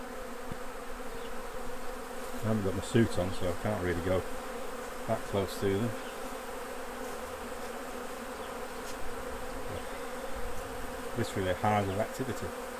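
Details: Constant deep buzzing of honey bees at the hives during a honey harvest, with several stretches of talking layered over the drone.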